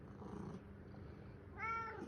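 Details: Pet cat at home in the morning, repeatedly meowing to demand attention while its owner is on the phone. Low rumbling, purr-like noise fills the start, then one bright, drawn-out harmonic meow near the end.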